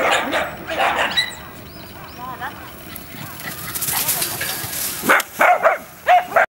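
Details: Boston Terrier barking outdoors during running play, filmed on a Canon EOS 7D with a 70-200mm lens; human voices and rustling fill the first half, then three short, sharp yipping barks close together at the end.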